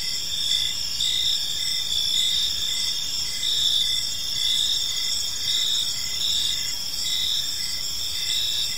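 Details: Evening park crickets form a continuous shrill chorus of stacked high tones, while a lower chirp pulses in a regular beat throughout, with no other clear sounds.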